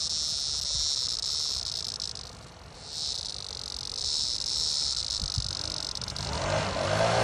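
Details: Cicada seized by a cicada killer wasp gives a loud rasping high-pitched buzz that fades briefly mid-way then returns strongly, with a low rumbling noise rising near the end.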